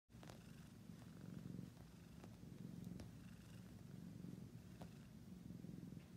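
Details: Domestic cat purring: a steady, low, throbbing rumble of fast rhythmic pulses that swells and eases with each breath, with a few faint clicks over it.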